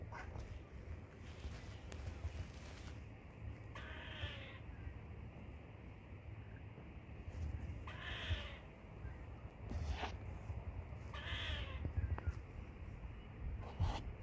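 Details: Squirrel giving loud chirps: three hoarse, rasping bursts spaced roughly four seconds apart, each under a second with downward-sliding overtones, against constant low-pitched background rumble.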